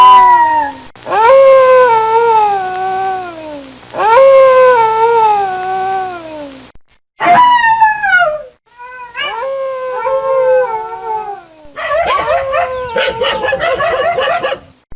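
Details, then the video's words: Dogs howling, part of a howling and barking compilation: a series of drawn-out howls, each starting high and sliding downward over a few seconds, separated by short silences, ending with a denser burst of overlapping voices. "Best Dogs howling and Barking"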